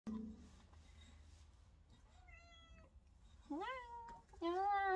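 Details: Female pet cat Chamchi meowing indoors as her owner prepares to sing with her; a soft held tone, then two rising-falling harmonic meows near the end, with Korean speech at the start.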